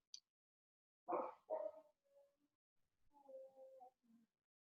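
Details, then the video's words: A neighbour's husky-mix dog gives a faint, drawn-out, wavering howl in the background, heard from indoors over a person's voice. "did you hear that my neighbor's dog is howling"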